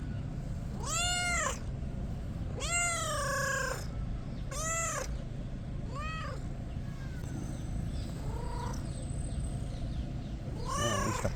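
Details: Kitten being petted, making funny noises: drawn-out, rising-then-falling meows, four loud ones in the first half, then a fainter short mew and a final clear meow, with steady low hiss behind.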